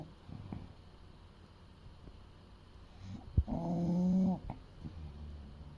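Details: Eight-year-old male English Bulldog named Fuku, about 30 kg, sleeping: a sharp click, then one rough nasal snore of nearly a second, with soft breathing and faint low hum around it.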